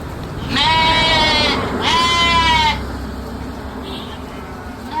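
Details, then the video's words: Two loud, drawn-out sheep bleats in quick succession, each about a second long with a wavering, nasal tone, then a faint distant bleat against low background noise. "Sounds of sheep’s, lamp sound"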